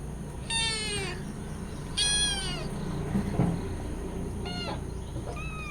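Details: Hungry cat and kittens calling for milk; three clear high-pitched meows about a second apart, then a short fainter one and a brief final mew, over a steady low hum.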